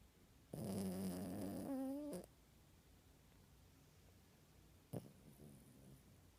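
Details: Puppy asleep under the covers indoors, giving one long rasping snore of about a second and a half with a low buzzy tone, followed by a short soft snort and then quiet breathing.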